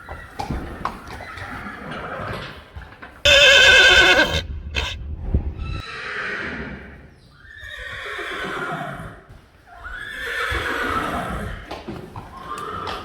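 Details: Several neighs from Friesian horses: a sudden loud, strongly harmonic whinny, then a run of quavering, falling neighs, each about a second long, separated by brief gaps, with faint knocks and hoof-like thuds beneath.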